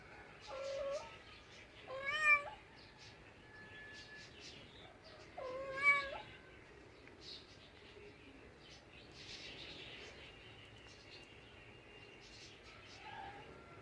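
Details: House cats producing a few drawn-out, strained meows with sharp upward pitch breaks around two and six seconds, then softer faint calls amid low background noise.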